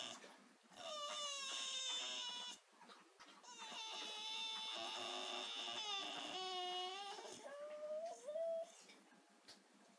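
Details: Willow, a female Staffordshire Bull Terrier pet, 'singing' in pain indoors a week after her knee operation, a habit that lasted until 4 am. Long wavering, harmonic whine-howls come in two sustained bouts, with brief gaps and a final rising, bending wail.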